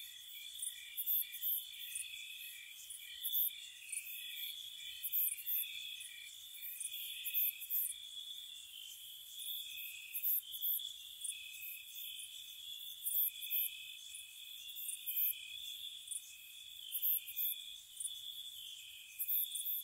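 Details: Crickets chirp steadily at night in spring in a high, shimmering chorus, with sharp pulsed trills above.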